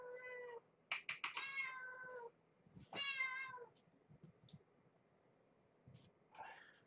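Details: Domestic cat, a mother with kittens, meowing at dinner time while rubbing against things before bedtime: three long, harmonic meows, the middle one rising then falling, followed by faint clicks and a rustle in a quiet indoor room.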